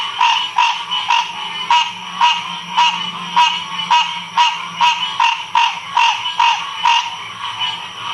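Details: Frogs calling together in Ocean Springs, Mississippi, 2016: a run of sharp, evenly spaced croaking pulses, roughly two or three per second, continues throughout, with a faint low drone in the first half.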